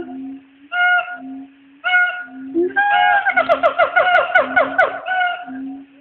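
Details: Two black siamangs (Hylobates syndactylus) call to each other from the trees at Nashville Zoo around noon, trading loud hooting calls and a loud "waaaaahooooo" over a steady low drone, breaking into quick wavering notes.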